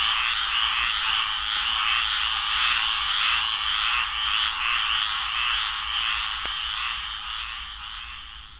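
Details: A dense breeding chorus of squirrel treefrogs in Florida, harsh and noisy, with rasping calls overlapping continuously.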